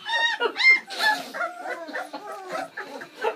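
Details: Bernese Mountain Dog puppies, a litter of seven born Valentine's Day 2013, squealing during their first ever feed on Mothering Sunday; shrill, bending whines come in quick bursts while a person talks over them.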